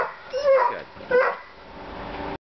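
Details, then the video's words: Dogs playing together on deck steps: two short high barks with a yipping, whimpering quality, followed by a low steady hum. "Barking Deck Steps Playing Enjoying Their Time Together"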